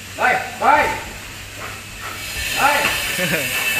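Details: During training, a big 47 kg Belgian Malinois gives two sharp barks, pauses, then two more, with a steady background hiss and a handler's voice.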